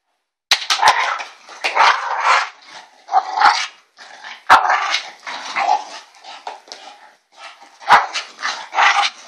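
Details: Elsa the bulldog producing ewok-like noises, dense back-to-back rough yelps and grumbling barks in uneven bursts, with a few sharp clicks scattered through.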